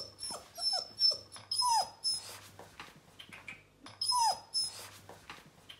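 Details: Young Bernese Mountain Dog exploring a new home on its first day: short falling whines come in small bursts, with one clear high whimper repeated twice, over rustling and a faint constant hum.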